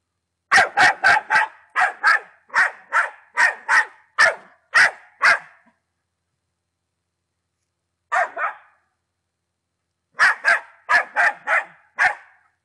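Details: Czech Patterdale Terrier, ten months old, firing off a rapid series of about twelve sharp barks, then a long silence, a single bark, another pause, and a final burst of five or six barks.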